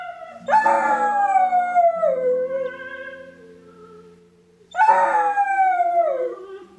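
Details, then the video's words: Pet dog indoors howling along to the opening of a film: two long, wavering howls, each starting high and sliding slowly downward over several seconds, with soft film music beneath. "Dog howling while watching Three Billboards Outside Ebbing Missouri"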